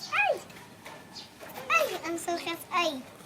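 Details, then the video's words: Several short, whining yelps from puppies playing together, each call rising then falling, spaced about a second apart. "Puppies start to play lots now"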